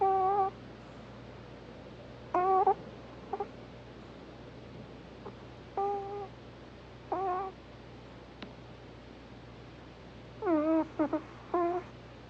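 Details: Hana, a Pomeranian, sleeping and snoring cutely indoors: short, squeaky, whine-like tonal snores come in separate bursts, some in quick doubled or tripled runs, with quiet pauses between. A steady low hum runs underneath.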